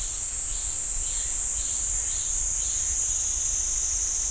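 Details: Pine forest cicadas at Ssanggyesa temple, Jirisan National Park, singing a loud, unbroken high-pitched drone with soft rhythmic pulses underneath and a constant low hum.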